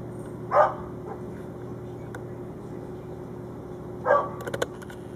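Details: German shorthaired pointer named Shafer barking at two young squirrels up a tree: two short, sharp barks about three and a half seconds apart, followed by a few clicks over a steady background hum.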